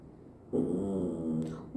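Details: A dog being told to wait while the family eats makes an odd, drawn-out, low, moaning whine that wavers slightly in pitch for over a second.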